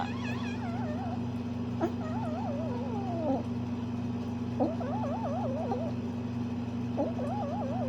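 A Bengal cat gives warbling, wavering trills in short bursts over a steady low hum.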